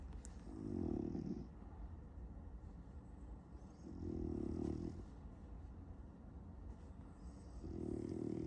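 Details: A French Bulldog snoring while dreaming of chasing cats: low, rattling snores repeating about every three and a half seconds, with faint breathy hisses in between.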